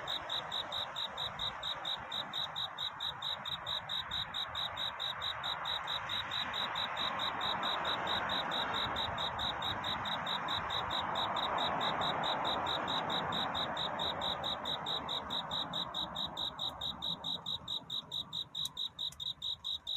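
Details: Cricket singing at night to find love during courtship, with a dawn scene: a steady, high, even chirping at about two pulses per second carries through the whole stretch over a broad, soft hiss of background noise that swells and fades.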